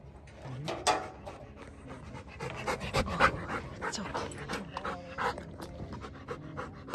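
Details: Bernese mountain dog, a male, on his first hike along forest trails, panting rapidly and unevenly as he tires, with broadband breathy bursts, footsteps and people talking nearby.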